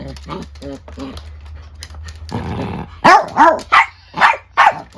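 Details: Angry exchange between a young female Chiweenie (Dachshund-Chihuahua mix) and an older Miniature Dachshund indoors; soft grumbling yips and a rasping growl give way to five loud, sharp barks in quick succession.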